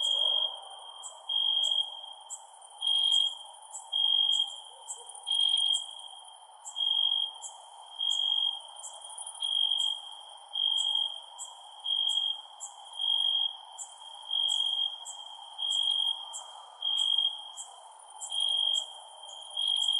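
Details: At night, crickets trill on one high, unwavering pitch, swelling into regular loud bursts about once every second and a quarter, while thin, very high chirps patter along above a mild background hiss.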